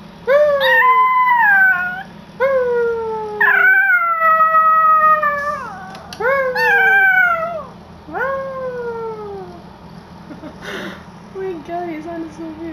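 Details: Yorkshire Terrier kept as a pet, howling in a series of short, wavering tonal wails, each starting high and dropping, several bursts in quick succession, then fading into quieter, lower whines near the end.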